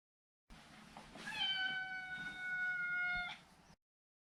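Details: One long, sustained meow of about two seconds from a neutered male Maine Coon, held at a steady pitch with strong harmonics over a low hiss of room noise.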